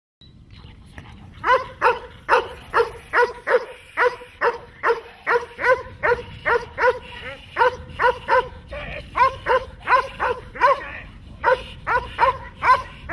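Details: Dogs such as German Shepherds and Malinois during protection training, barking in a fast, steady series of sharp, harmonic barks, roughly two or more per second, starting after a quiet first second and continuing throughout.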